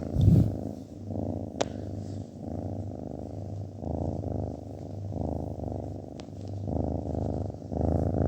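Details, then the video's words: Domestic cat purring, a low throbbing rumble in steady breathing cycles, with a few light clicks and quiet background music. "kedi mırıldanması"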